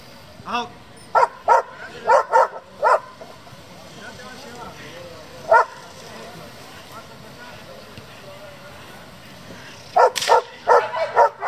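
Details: German Shepherd from a working-dog breeding and competition group, giving short sharp barks in bursts, a run of four near the start, a single bark mid-clip and a fast cluster at the end, with human speech in the background.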